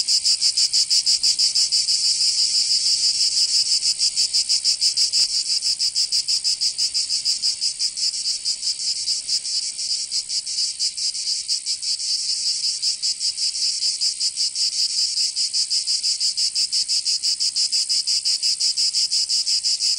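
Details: Summer cicada chorus in Provence, southern France: a dense, shrill, continuous buzz made of rapid rhythmic pulses, holding an even loudness with slight dips throughout.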